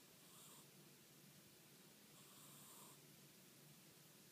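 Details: Snoring Scottish Fold cat, fold-eared, asleep: two soft, breathy, hissing snores, each under a second long and about two seconds apart, over a quiet steady background hiss.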